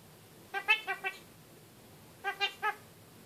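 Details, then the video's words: Young pet kakariki kept in a cage, talking: two quick bursts of three to four nasal, harmonic-rich syllables separated by a pause, in a quiet room. "Kakariki talking"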